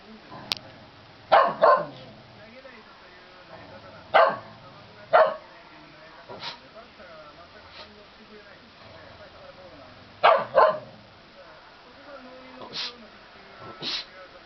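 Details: Angry Shetland Sheepdog in Japan, annoyed by baseball cheering sounds, lets out repeated sharp sneezes, often in close pairs, spread irregularly over about fourteen seconds, with softer snorts between and a quiet indoor background.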